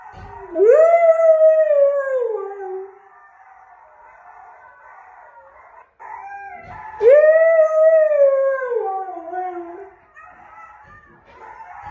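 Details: Male husky responding to wolves howling with two long howls, each sweeping up then gliding gradually down, separated by a quieter wavering whine.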